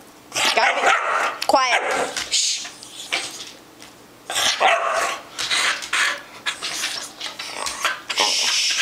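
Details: A cheese-loving pet dog voices its demand for cheese indoors: a few moaning, bark-like calls with a wavering pitched yowl near the start, set among a person's chatter and gaps of quiet.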